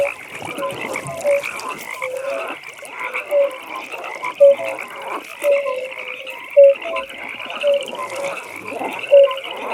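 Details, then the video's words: Nighttime frog pond: a steady layered chorus with short croaks popping out roughly once a second, louder individual calls rising above a constant high trilling background. "15 Minutes Frog Pond"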